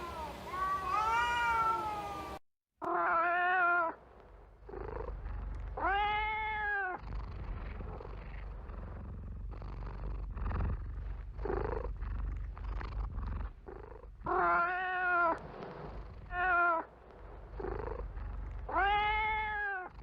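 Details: Cat meowing in a compilation mix: arched, harmonic meows recurring every few seconds, some long and wavering, set against a noisy low rumble with scattered clicks.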